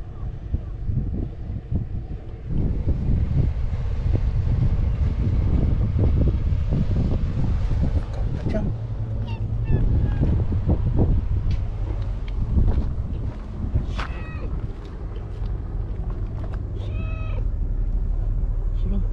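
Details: White stray cat on a tetrapod breakwater in Japan, near the cat Okappa-chan and anglers fishing; a couple of short arched meows rise and fall late on, under steady wind rumble, with a woman talking and calling the cat away from danger.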